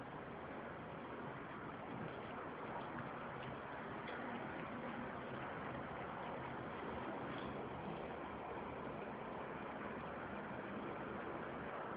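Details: A steady wash of broadband hiss and rumble runs for the whole stretch, with no animal voice standing out.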